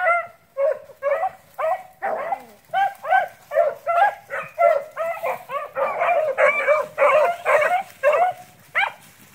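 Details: Beagles, rabbit hounds of a line-bred strain, giving tongue while relentlessly pursuing cottontails and bluetails: a pack of loud, ringing yelps in rapid bursts, each clear and harmonic, repeating roughly twice a second with short gaps between.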